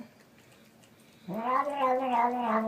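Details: Domestic cat giving a single drawn-out meow that rises then holds steady with rich harmonics, after a quiet stretch of low background hum.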